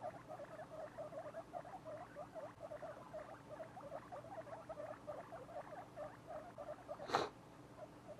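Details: Two-week-old guinea pig babies chatter in soft, low, rapidly repeated squeaky notes, a steady run of short pulses, with a single dull thump just past seven seconds and a faint hum throughout.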